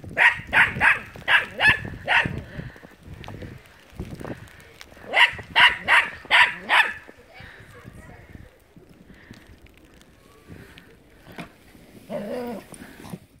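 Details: Dog named Buddy playing in the snow beside a red sled, barking in two quick bursts of loud, sharp, harmonic barks, about seven then five, with a pause between them; people talking and rustling in the background.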